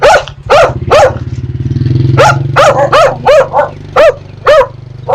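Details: Dogs barking at strangers, with puppies barking at familiar people; a dozen sharp barks, often in pairs, while a low rumbling motor engine runs through the first half.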